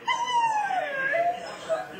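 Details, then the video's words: Four-month-old Siberian Husky puppy talking back indoors because it does not want to come downstairs: a drawn-out, falling, whiny howl that wavers near the end, with its owner urging it on. "Husky Puppy Talking Back"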